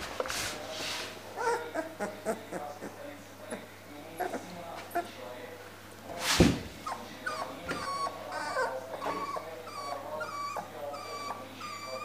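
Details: Siberian Husky puppies at a Moscow-area kennel whimper and yip in short, high, wavering cries, with a steady low hum behind.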